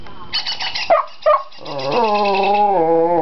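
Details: Shetland Sheepdog, a pet, barking and howling in excitement while a handheld bird call identifier plays bird sounds. Short chirpy playback notes come first, then a long, steady, tonal howl that wavers gently and holds for over a second.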